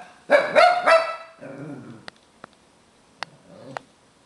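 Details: Albus, a Tibetan Terrier lecturing a beagle, gives a short burst of loud whiny yowls, then a low trailing grumble, followed by a few sharp clicks and quiet moments.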